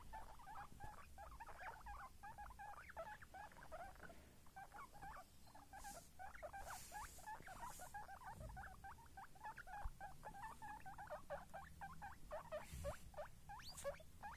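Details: Guinea pig babies give rapid, overlapping little squeaks in a long steady chatter, briefly dipping near the middle, with a few soft rustles and knocks in the background.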